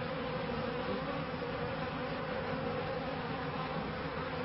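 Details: Honey bees in a beekeeper's bee yard in 1994, during the first years with the first hives. A dense, unbroken buzzing drone stays level throughout, with no other clear sounds.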